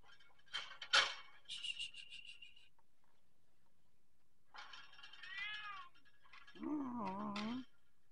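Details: Persian cat meowing repeatedly: two short bright cries at the start, then a longer wavering meow, and finally a deeper, drawn-out yowling meow that sags and rises, with soft handling noises between the calls.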